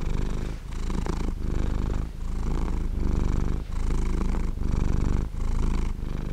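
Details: Close, continuous purr of a sleeping domestic cat: deep rattling vibration pulsing with inhale and exhale roughly every three-quarters of a second, with short dips between breaths.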